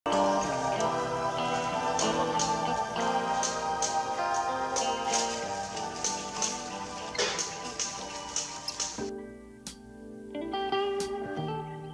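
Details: Melodic instrumental music with plucked and tinkling notes and a faint voice, with no animal sound heard.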